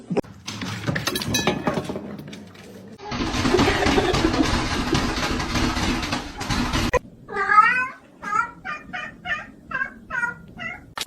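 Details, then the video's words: Kitten after several seconds of loud rustling noise: a quick series of short, wavering mews, about eight in four seconds, each briefer and softer than the last. "kitten meowing cute"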